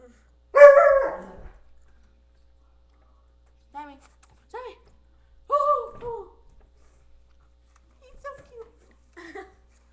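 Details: Alaskan Malamute. An Alaskan Malamute gives a loud, rough opening yowl, then a series of short, melodic woo sounds. The sounds bend up and down in pitch with short pauses between them, a howling kind of dog talk.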